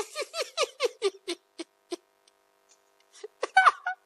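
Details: Siberian Husky recovering from illness, waiting indoors for its syrup medicine while a companion bothers it: a quick run of about eight short, harmonic yelping whines that soften and slow, then a brief louder cluster of cries.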